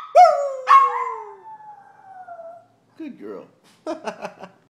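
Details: A Maltipoo howls on command: two rising yelps that slide into a long, drawn-out falling note.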